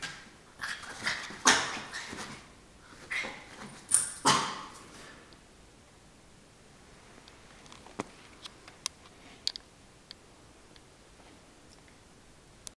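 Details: Norfolk Terrier playfully fighting a pillow indoors, giving a burst of rough, huffing growls and snorts over the first five seconds, then falling quiet apart from scattered light clicks and taps.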